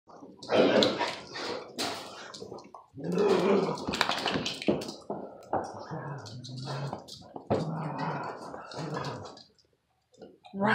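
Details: Dogs at play, a Presa dane mix and a kangal bloodhound mix pup aggravating an older lurcher terrier mix: rough growling and broken noisy bursts, with people talking and calling over the scuffle.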